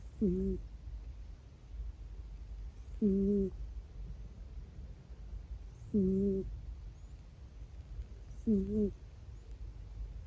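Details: Four-year-old male Minuet cat asleep and snoring with thin, whistling peeps, four of them spaced roughly every two and a half to three seconds, over a quiet indoor background hum.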